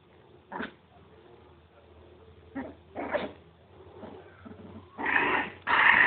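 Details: Miniature pinscher puppies at play give scattered sharp yaps over a faint steady hum, ending in two loud, harsh growling barks.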